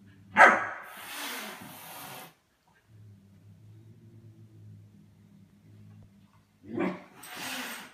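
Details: Indoors, a German Shepherd puppy tempting the cats gives a sharp single bark followed by a breathy hissing rush, then quiet hum, then another bark and hiss near the end.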